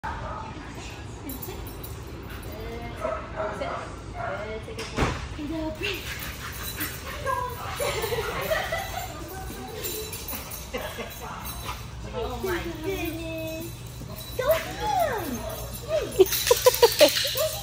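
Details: A Staffordshire Bull Terrier whines in high, wavering, rising-and-falling tones, excitedly greeting its returning owners, with people talking.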